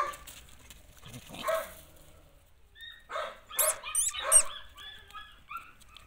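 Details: Belgian Malinois puppies yelping and whimpering: scattered short, squeaky high yips and thin whines, bunched in a busier burst midway, irregularly spaced against a quiet background.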